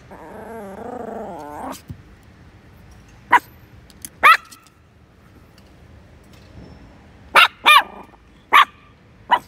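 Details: Chihuahua letting out scattered sharp, high-pitched barks, single and in quick pairs, after an opening stretch of a lower drawn-out whine or growl.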